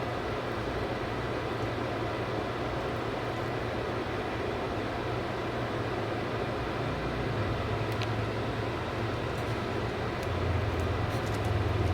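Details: Steady low mechanical rumble, like a passing vehicle or train, with no animal voice.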